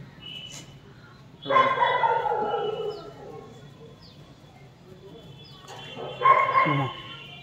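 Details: German Shepherd puppies; two separate bursts of bright, harmonic yipping barks about five seconds apart over a steady low hum, with faint voices.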